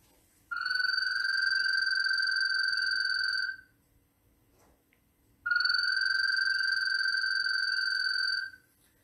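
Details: Male American toad mating call, played back from a recording. Males call to attract females, and the sound is often mistaken for a bird. Two long, steady, high musical trills of about three seconds each, separated by a short silence.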